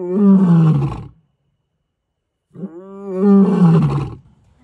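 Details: Male lions roaring their challenge at night on the African savannah: two powerful deep, throaty roars, each about a second long, separated by over a second of silence.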